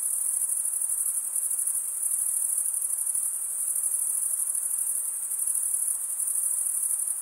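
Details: High continuous insect trill from crickets chirping at night in a summer forest, a rapid even pulse with gentle swells in loudness, layered over faint broadband background hiss.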